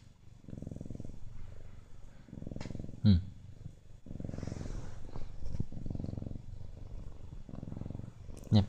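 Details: Steady cycles of low, vibrating purring from a Siamese cat, one burst roughly every second and a half, broken twice by sharp clicking taps.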